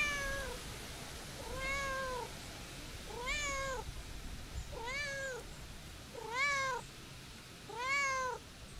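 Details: Calico cat, a stray, meowing as someone tries to leave: six drawn-out, arching meows roughly every one and a half seconds, each rising then falling, over a soft steady background hiss.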